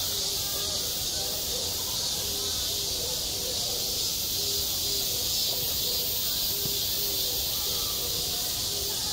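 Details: A constant shrill cicada drone fills a summer school playground, recorded firsthand; beneath the dense high buzz, faint low tones repeat in short evenly spaced bursts.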